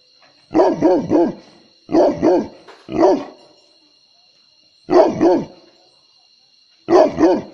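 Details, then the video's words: Dog guarding at night, giving deep barks in quick clusters of two or three, separated by short pauses of silence, with a faint steady high tone running in the background. "Night Guarding Dog"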